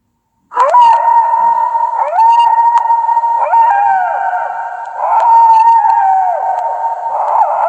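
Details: Wolf howling in overlapping voices, several steady held notes beginning with short yelping rises, repeated roughly every one and a half seconds, as in a chorus.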